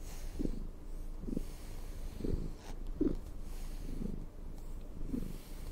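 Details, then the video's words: Cat purring as it is brushed, low continuous rumble pulsing roughly once per second, each breath-linked swell clearly audible, with light brush sounds between. "asmr cat purring and brushing"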